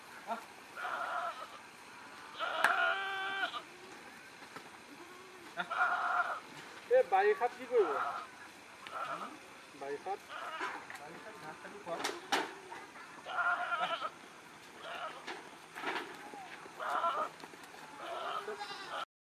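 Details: Goats kept on a farm in Nagaon, Assam, India, repeatedly bleat in short, nasal, wavering bursts, some overlapping, mixed with people talking and clattering farm sounds throughout.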